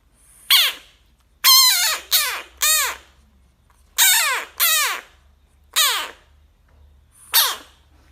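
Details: Bullfrog confronting a dog gives eight loud, harsh, harmonic screams. Each scream drops steeply in pitch, and they come in irregular bursts over about seven seconds against a quiet background.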